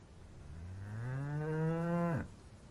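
A cow gives a single long moo that rises slightly, holds steady, then drops off abruptly.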